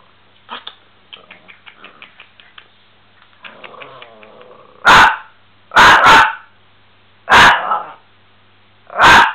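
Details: Miniature Pinscher dog barking in action: after a few seconds of soft scattered sounds, five loud, sharp, harsh barks burst out in the second half, the last ones coming roughly every second or two.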